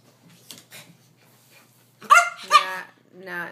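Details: Pomeranian named Coco, excited while unwrapping Christmas presents indoors; two loud, sharp high barks close together, then a longer whiny bark, after soft earlier yips, with a person talking about Christmas.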